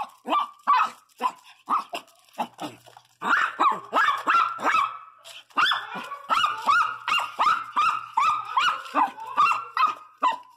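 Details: ['A pregnant female Pinscher, one month into her first pregnancy, barks in a rapid run of about twenty sharp, high yapping barks. Some barks carry a short whining tone, and there are brief pauses between the bursts.']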